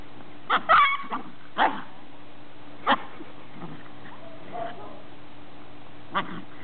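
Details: Ten-week-old greyhound pups and their mother, Ice, playing outdoors: a cluster of sharp yips and short barks early on, then scattered single barks about a second apart, with a steady low hum underneath.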